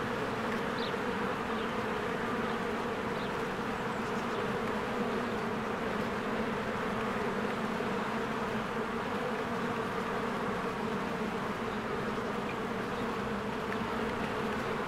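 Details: Spring beehive with swarms of bees streaming in and out, blossoms and greening trees nearby; a continuous thick, even hum of many wingbeats, with a few faint high chirps breaking through now and then.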